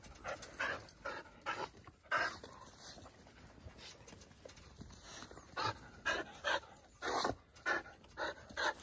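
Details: Jindo dog from a Jindo family kept in Seongju, North Gyeongsang, panting in quick breathy bursts, clustered in runs of three to four with short pauses between, over about nine seconds; faint outdoor background.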